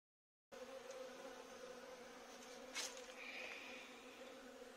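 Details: After a brief silence, a courtyard overrun by a bee swarm fills with an even droning buzz; one short sharp knock and a faint higher whine rise out of the hum partway through.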